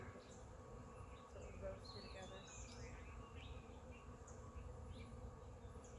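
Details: Honey bees swarming around a large cluster hanging from a yard oak tree, beginning to fly at the person: continuous even droning hum, with scattered high chirping bird calls above.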